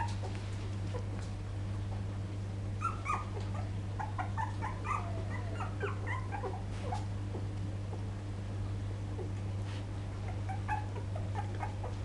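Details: Young poodle puppies, recorded in 2012, giving scattered thin whines and squeaks that cluster in the middle of the stretch before thinning out, with a constant low hum beneath.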